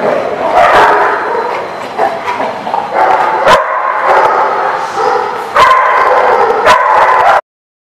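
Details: Several dogs barking and yipping at once in a kennel, overlapping bursts with loud clatters, ending abruptly.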